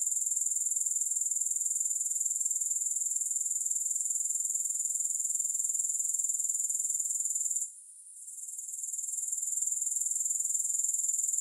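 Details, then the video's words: Grasshoppers heard alone without music: a sustained, very high, finely pulsed buzzing, interrupted by a short dropout near the end before resuming at full strength. "Grass Hopper Sounds"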